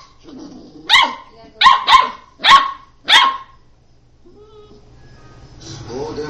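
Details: Puppy at play, giving a burst of five sharp, high yips and barks within about three seconds, then a quiet pause with faint rustling and a soft whine near the end.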